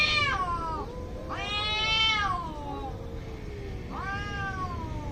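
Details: Angry cats about to fight in India. Three loud, strained caterwauls with rich harmonics each swoop upward and then slide down, spaced about one and a half seconds apart, with a low, steady background hum.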